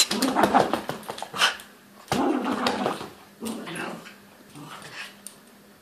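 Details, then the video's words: Louis the toy poodle ragging a teddy indoors, giving rough growls in several bursts with scuffling and a little whimpering, a human voice faint in the background. "toy poodle ragging teddy"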